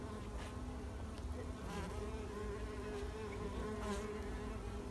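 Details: Spring 2021 recording of wild mason bees at work as pollinators, giving a continuous even humming buzz that holds a steady pitch throughout, with a low rumbling background.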